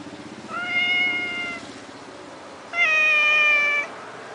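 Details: Cat living at the Lanai Langkawi Resort, meowing twice: two drawn-out, clear meows about a second long each, the second slightly higher and steadier, over a soft low background rumble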